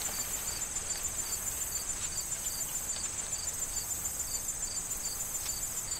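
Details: Regular cricket chirps, near three per second, ring out over a persistent high-pitched trill in an autumn corn field, with light wind and rustling stalks behind.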